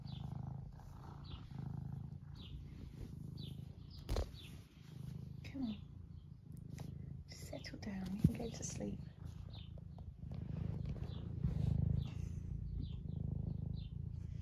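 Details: Purring of Eric, an 11-year-old semi long-haired domestic tabby in the UK who loves attention, as he is stroked; continuous low pulsing rumble swelling and fading with breaths, with a person talking softly and handling noises.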